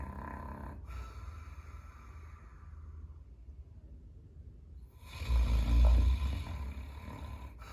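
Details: Sleeping Caucasian Shepherd dog named Number 1 lying in a house entryway; soft low breathing, then one loud, deep, rattling snore swelling past the five-second mark before quieting.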